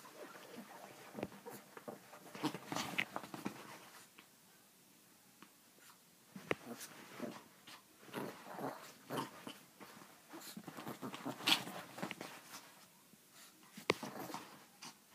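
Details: Chihuahua making irregular clusters of short, rough snuffling and yipping noises across about fifteen seconds, separated by brief quiet gaps.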